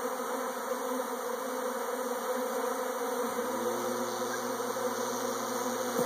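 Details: A swarm of honey bees hums continuously in a dense buzz; partway through, a lower steady tonal drone joins beneath the insects.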